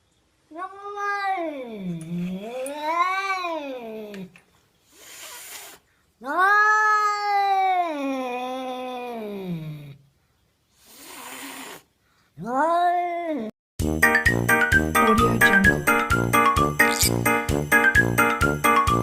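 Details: Cat calling to attract other cats: several long, wavering caterwauls that rise and fall, separated by short pauses and breathy sounds, ending in loud rhythmic music.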